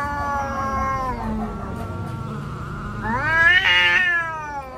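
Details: Street cats fighting: a long, drawn-out harmonic yowl holds steady and then sags before a louder, rising wail climbs sharply and wavers near the end, over a low background rumble.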